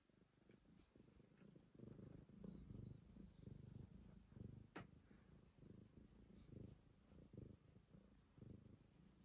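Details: A black cat on a terrace, eating grass that has grown hard, makes a soft, low, steady purr of rapid rhythmic pulses that starts after about two seconds and continues to the end, with a few faint clicks.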